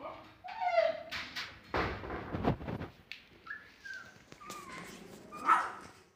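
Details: Siberian Husky puppies about 21 days old give thin, squeaky yips and whines while play-fighting, with scuffling noises.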